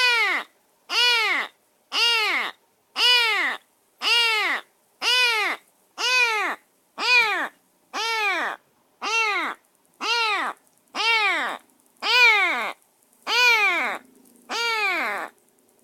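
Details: Rescued semi-wild stray kitten, bathed and fed, shut in a cage in a new home during its first minutes there, meowing insistently: loud arched harmonic meows repeated about once per second in a steady series.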